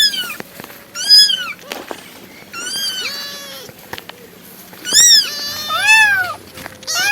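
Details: Domestic cat meowing repeatedly, bright harmonic meows that rise and fall, some clipped and some drawn out, with clicks and soft lower tones between them.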